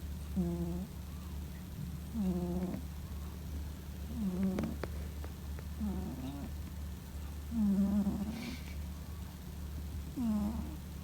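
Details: A male Scottish Fold cat, born in 2017, snoring while asleep like a middle-aged man: six low, rough, harmonic snores of about half a second each, spaced every one and a half to two and a half seconds over a steady low hum.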